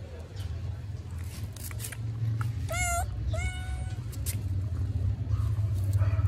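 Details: Hungry kitten asking for food, giving two high, harmonic-rich meows about half a second apart, the second drawn out and level, over a steady low rumble of traffic or engine noise.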